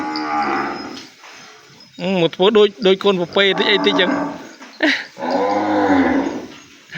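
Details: A calf separated from its mother calls for her in the pen: a drawn-out moo, then a fast string of short, choppy bleats, and a final long, sliding cry.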